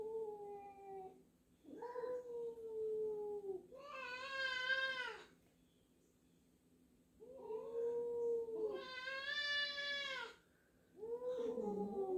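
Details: Two domestic cats meeting indoors, a newly arrived black-and-white cat and a resident black cat unsure of it, meow at each other: long, drawn-out, wavering yowling meows, some rising and falling, in several bouts separated by short silences.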